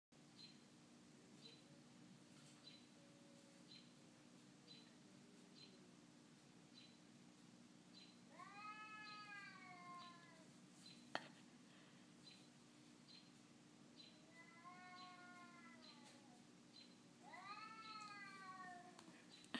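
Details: Domestic cat chatting with another cat through a window, at first meeting with one of its kind: scattered quavering meows, some short, some drawn out and wavering, over a steady low electrical hum and room hiss.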